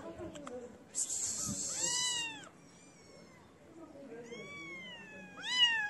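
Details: Feral kittens crowd around a feeder, giving clear arched meows with rich harmonics, one near two seconds and a sharper cry at the end, with a burst of hissy noise and quiet gaps between.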